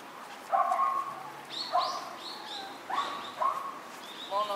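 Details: Four white Miniature Schnauzer sister puppies, born September 10, give short high-pitched yips and whiny yelps, some rising then falling, in scattered bursts of one or two calls over a few seconds.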